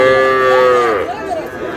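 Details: Sahiwal bull calf at a cattle market in Cumilla, Bangladesh, during bargaining: one strong, harmonic moo held level for about a second, then tailing off into softer wavering notes.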